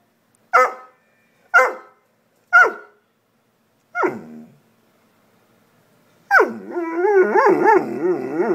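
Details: A female pet dog that seems to be trying to say something: four short, sharp barks about a second apart, then a pause, then a long wavering, yodel-like moan that slides up and down in pitch, like an attempt at talking.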